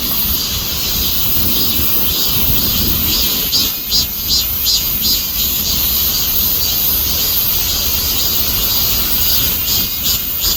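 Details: Cicada chorus: a loud, continuous high-pitched buzzing hiss, pulsing in quick waves, with a low rumbling background.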